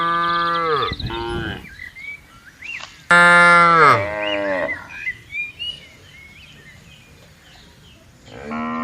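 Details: Dozens of tame cattle roaming freely and grazing on wide green pasture in peaceful countryside; two long, deep, droning moos with rich harmonics, each dipping and fading at the end, the second loud and strained, then a third moo beginning, with faint chirps between.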